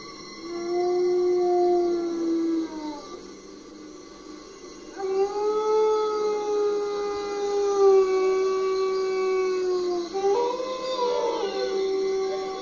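Wolves howl in long, smooth, mournful tones, several voices overlapping and sliding gently in pitch.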